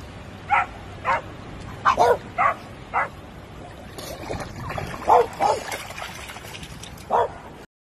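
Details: Young French Bulldog giving short, high yapping barks, single or in quick pairs at irregular intervals, over steady background hiss with faint voices in the middle.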